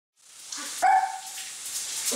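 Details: Miniature Pinscher puppy frightened by a spoon in a bowl gives one sharp, high, clear yelping bark that trails off into a thin tone, amid clinking and rustling noises.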